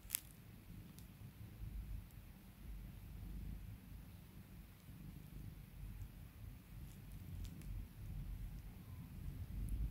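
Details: Domestic cat purring while being calmed and spoiled by its owner indoors: a soft, continuous low rumble through the whole recording, with a few faint clicks and light rustling.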